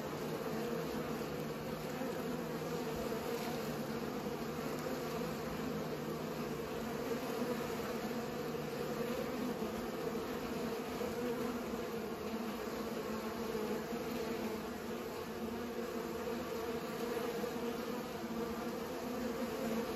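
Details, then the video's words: Bees busy pollinating make a thick, steady hum that stays level throughout, with a faint low rumble underneath. "Bees pollinate"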